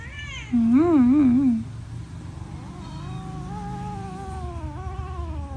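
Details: Hungry cats eating rice; one loud wavering meow that rises and falls three times, then a long, softer drawn-out call that slowly glides, with a low steady hum underneath.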